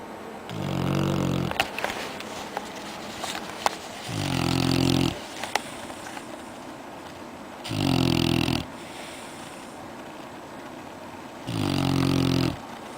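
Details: Red-nose Pit Bull puppy asleep in its bed after a day of playing outside, snoring: four low, harmonic rasping snores roughly every three to four seconds, each about a second long, with faint clicks and rustles between.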